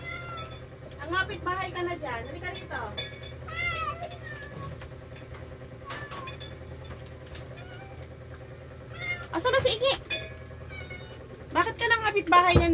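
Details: Rescued pet cats at lunch feeding, meowing repeatedly in short arched calls, some overlapping in quick bursts, mixed with a woman talking to them in Tagalog, laughter, soft music and faint traffic noise.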